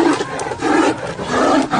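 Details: Two Royal Bengal tigers fighting give deep, harsh growls and snarls that rise and fall in rough, grating, rasping bursts, almost continuous and swelling louder at the start and end.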